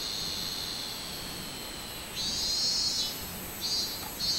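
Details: A robust cicada, recorded 24 July 2016, breaks into a bright buzzing drone after two seconds of faint hiss, then gives a second short pulse near the end.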